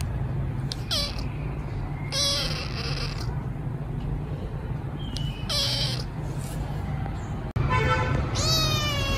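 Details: Hungry rescued kitten waiting for food, meowing loudly: several short high rising-falling meows, repeated and separated by pauses, one longer harmonic wail at the end, over steady low background hum.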